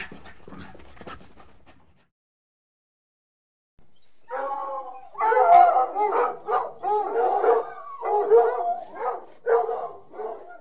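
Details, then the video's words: Dogs barking: faint, scattered yips at first, then silence, followed by a loud, steady run of resonant barks and howl-like yelps overlapping one another for several seconds. "Dogs Barking Sound Effect"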